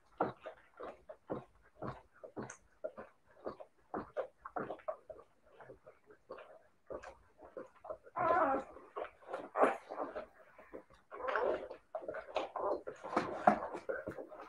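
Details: Siberian Husky puppies making a steady run of short, soft grunting yips, growing louder and denser in the second half with noisier, scratchier whines.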